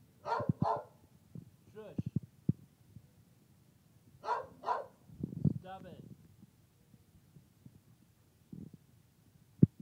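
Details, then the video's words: Female dog barking at work, seemingly with a lot to say: two pairs of quick barks separated by a few seconds, with short whiny vocal sounds, clicks and thumps between them. "Trilby Barks (At Work)"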